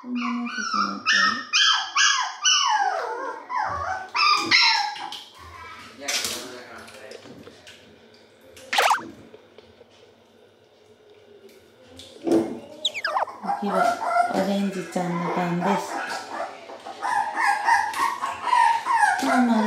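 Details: Two Toy Poodle puppies at their very first bath, panicking and crying hard: loud, high, wavering whines and yelps that rise and fall in rapid bursts, a quieter stretch midway, then renewed frantic whining.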